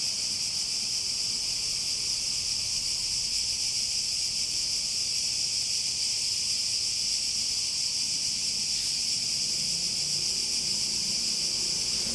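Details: Cicadas singing: an unbroken, high, hissing buzz that stays constant in pitch and loudness for the whole stretch, with only faint low background murmur beneath.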